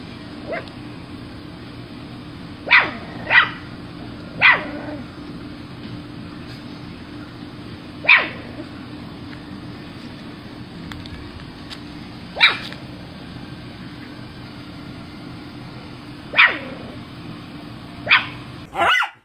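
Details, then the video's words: Miniature Schnauzer barking in scattered single and paired sharp yaps at irregular intervals, with long quiet stretches of steady low hum between them and a brief clatter at the very end. "Miniature Schnauzer - The Most Exciting Sounds That Make Dogs React"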